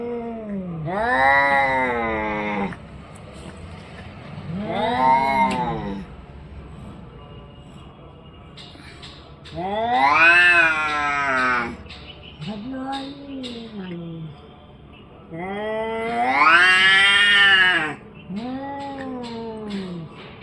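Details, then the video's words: Orange and white domestic cat giving six drawn-out, wailing meows, each rising then falling in pitch and lasting one to two and a half seconds, spaced roughly every three seconds, the loudest near the middle and end, with faint clicks between. "cat funny sounds"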